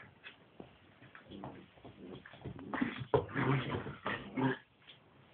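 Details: Scottish Deerhound pups at play in their first moments out of their crate after air-cargo travel from Edinburgh to Helsinki; a scatter of soft whimpers, grunts and short yelps, rising to louder bursts near the middle.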